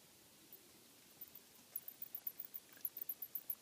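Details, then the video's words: Bats inside a home attic, recorded while checking for noise, start after a quiet hiss with a run of very high, thin chirps repeated about four times a second, growing louder toward the end. "Bats in the attic"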